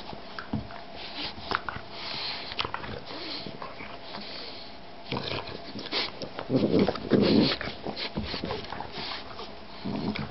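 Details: Boston bulldog and shar-pei mix puppy at play indoors, giving short rough growling bursts around six to seven seconds among scuffling, sniffing and knocking noises, with faint human speech in the background.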